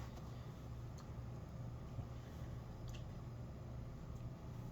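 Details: A quiet, steady, low engine-like hum with a few faint clicks and no animal sounds.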